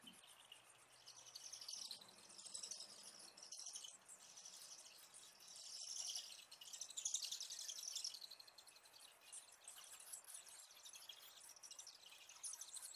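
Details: Bats at a California roost give a dense chorus of high, chattering audible social calls with rapid clicks, mixed with sound from a bat detector; bat.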